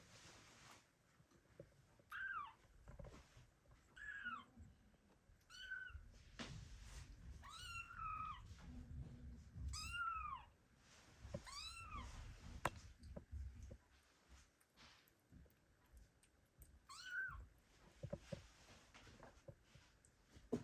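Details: Kittens abandoned by their mother, calling for her indoors: several high, thin, arching meows spaced a second or two apart, with low rumbling household noise and a steady hum underneath.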